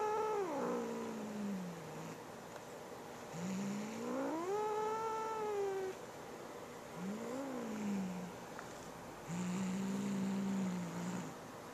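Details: Indoors, Boo the cat guards a fresh feather toy from his sister Molly with four drawn-out growling yowls, the first falling, the next swelling up then down, the last a steady low moan, separated by short pauses.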